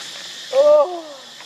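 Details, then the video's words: Baby monkey Lucie crying with hunger for milk, foaming at the mouth; one short tonal wail, steady then sliding downward into a fading tail, over a constant high hiss. "Lucie Very Pitiful Need Milk Crying foaming At The Mouth I Lovely Baby Monkey"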